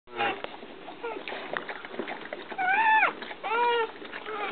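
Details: Newborn puppy Lady, all white with a patch over one eye, being licked by her mother Brandy; two thin, high, arching whimpers rise and fall near the end, with a person talking softly and wet licking noises around them.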